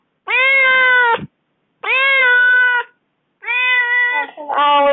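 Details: A small domestic cat gives long, drawn-out, plaintive meows, sounding aggrieved after its owner has been away from home for four days.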